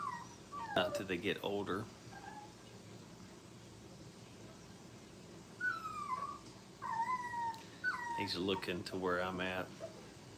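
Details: Five-week-old Brittany puppies playing at a training kennel, giving short, high whimpers that slide downward, several in a row, while people talk nearby before and after.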